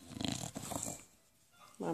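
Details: An English Bulldog licking his paws makes rough, snorting grunts in quick bursts, then a brief voiced sound, a noise he always makes when he gets enthusiastic.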